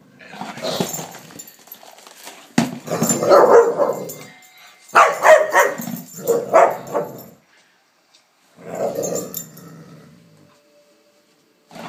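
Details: Layla, a Palestinian street dog living in Canada, plays with a lamp shade, uttering repeated rough growls and yelping howl-like bursts in uneven clusters, with thumping knocks and brief quiet spells between.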